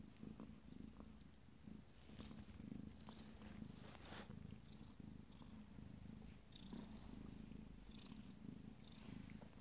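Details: Abyssinian kittens from a first litter, 14 days old, purring during a moment of pleasure; a steady low rumbling purr runs throughout, with faint light rustles and clicks above it.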